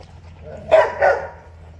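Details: Doberman puppies at feeding time; two short soft yips or barks in quick succession, about a third of a second apart, over a steady low hum.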